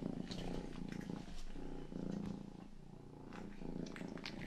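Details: Pet cat Rangi, youngest of the household, purring during ear-grooming ASMR meant for sleep and calm; a low throbbing purr in rhythmic swells with faint licking ticks between them.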